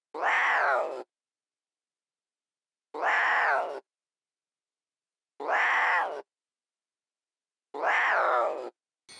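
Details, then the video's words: Playful lion cubs in the wild, frolicking and bonding: a harmonic, meow-like wail, each lasting about a second, repeated four times at steady intervals of roughly two and a half seconds with silence between. "Adorable Lion Cubs at Play"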